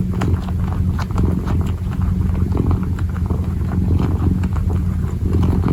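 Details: Low pulsing purr of a kitten as it kneads, steady and close. Sharp little taps and scratches punctuate the rumble.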